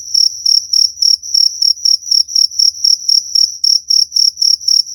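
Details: Shrill cricket chirps for repelling rats, loud and clean, pulsed about four times per second in a steady rhythm, each chirp ringing with a high overtone.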